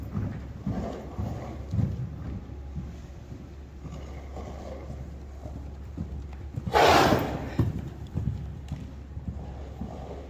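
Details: Friesian horse Queen Uniek, trotting and cantering happily, gives one forceful breathy snort late on, preceded by rhythmic muffled hoofbeats, over a constant low background hum.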